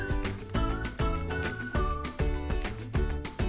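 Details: A loud music track with a steady pounding beat and sustained tonal chords, with no animal voice.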